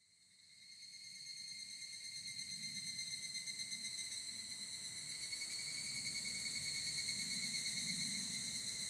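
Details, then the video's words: Evening cicada (higurashi) in Japan, field-recorded with a ZOOM F8n Pro and SCHOEPS microphones: a high, shimmering insect drone fades in over the first second, then holds steady with fine rapid pulsing and soft low rumble underneath. "HIGURASHI, EVENING CICADA IN JAPAN /フィールドレコーディング ヒグラシ 鳴き声"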